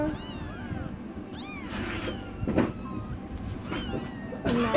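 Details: Four kittens that have just opened their eyes, mother cat away, giving high, wavering meows that rise then fall, in short bursts, with a woman speaking Tamil close by.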